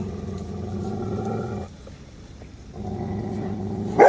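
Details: Adult female Cane Corso growling at a big puppy while correcting him and showing dominance, a low rumbling growl for about a second and a half, a pause, then another sustained growl.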